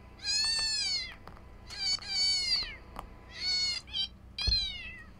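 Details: Cat meowing in response to a played sound meant to draw cats: five piercing, drawn-out mews with arched pitch, some nearly a second long, plus faint clicks and a low thump near the end.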